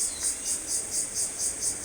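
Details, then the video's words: An unseen insect on an afternoon outdoors gives a shrill, piercing, high buzz that pulses about four times a second in an even, steady rhythm and goes on without stopping. "ভালো লাগছে পোকার শব্দটা।"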